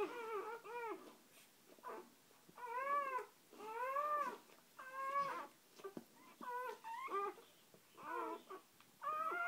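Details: Dog indoors just after a birth, with a mother and her first three newborn puppies present: high, squealing whimpers with bending pitch, given in uneven bursts of about one per second, with short quiet gaps between them.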